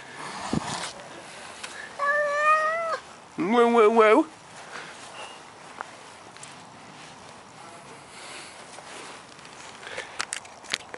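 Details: Maine Coon cat meowing twice in quick succession, a level tonal meow then a wavering, warbling one, with soft Spanish speech and scattered room noises around them.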